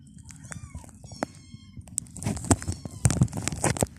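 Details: Domestic cats and kittens indoors, being given dry food and lickable cat treats for the first time; a short rising-falling harmonic meow in the first second, then clattering, rustling and handling noises with a low background hum.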